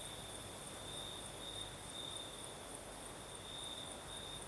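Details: Crickets sing through a breezy night in the south of Crimea, their high steady trill ringing without pause and flickering in rhythmic pulses above a soft, low background hum.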